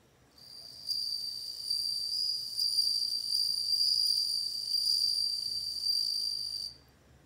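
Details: High, bell-like trilling of a bell cricket, a rapid shimmering chirr with overtones that starts after a pause, carries on steadily for about six seconds and then cuts off, leaving faint low background hiss.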